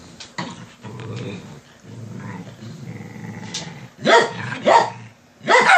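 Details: Dogs trying to rouse their owner from bed: low continuous grumbling growls for about four seconds, followed by three sharp, loud barks near the end.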